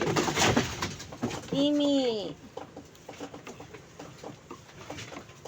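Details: Goat on a farm bleating once: a single wavering, nasal bleat lasting under a second, with people talking in Cebuano before and after it in a small, echoing space.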